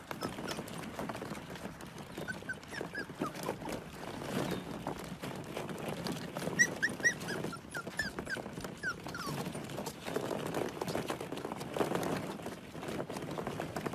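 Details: Husky/Pomeranian mix puppies, Pomskies, giving brief squeaky whimpers in scattered bursts over steady shuffling and scratching of paws and bodies at play, with louder rustles throughout.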